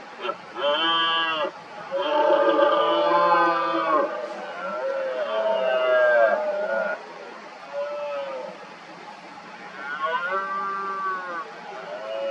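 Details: Rival red deer stags in the 2023 rut, worked into agitation around hinds, give loud, rich harmonic roars. Long bellows build and overlap through the first seven seconds, then shorter roars follow, one strong call near ten seconds.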